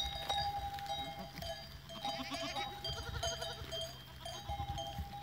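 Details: Goats recorded on 14 April 2023: a quavering, wavering bleat rises and falls over about a second, with other shorter bleats nearby, steady ringing of animal bells throughout and low rumbling background noise.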